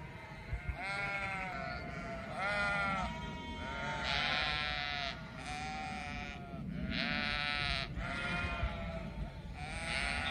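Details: Flock of sheep calling, a chorus of loud wavering bleats in bursts of about one second, several voices overlapping with barely a pause, over a soft background hum.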